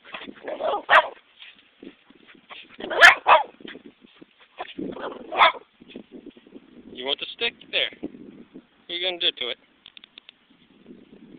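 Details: A pet dog named Pepper goes after a stick, giving several loud, harsh barks a couple of seconds apart, with a person teasingly chattering throughout.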